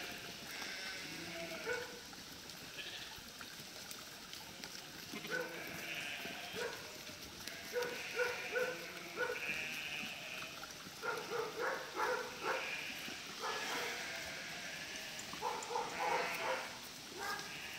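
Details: Flock of around 1000 sheep driven by a border collie to cross a river; many overlapping quavering bleats rise and fall throughout, some high and some lower, over a constant hiss of background noise.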